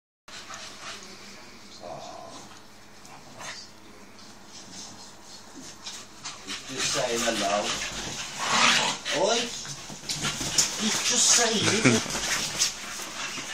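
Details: Staffordshire Bull Terriers playing together make rough, breathy grunts and short whiny growls amid scuffling noise.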